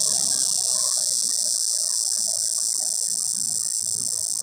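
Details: A cicada's mating call from up in a pear tree: a steady, loud, high-pitched electric buzz that holds unbroken throughout, with faint low rustling underneath.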